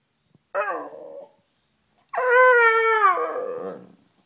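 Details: Beagle Sniffer, a noisy pet wanting up on the bed, gives a short rough whine followed by a longer, louder howl that starts high and slowly slides downward over nearly two seconds in a quiet room.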